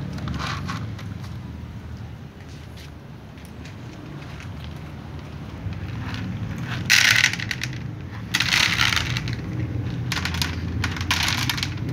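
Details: Crunching, crackling and scraping bursts over a steady low background hum, with no clear animal call.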